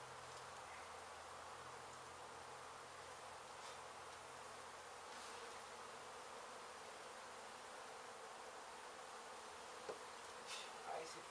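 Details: Constant buzzing drone of a honey bee colony disturbed when demolition crews hit its hive in an abandoned Mission, Texas home, recorded during relocation; a few sharp knocks near the end.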